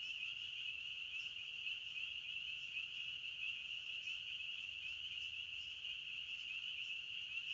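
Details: Chirping of crickets in the forest, heard as an even, piercing trill that runs without a break and swells faintly at moments, the only clear sound.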